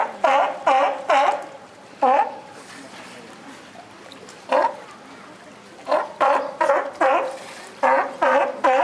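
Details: Sea lion at Higashiyama Zoo giving an unusual call, unlike its usual voice, likened to comedian Shimura Ken: harsh, harmonic barks in quick clusters of two or three, separated by short pauses, over a quiet indoor background.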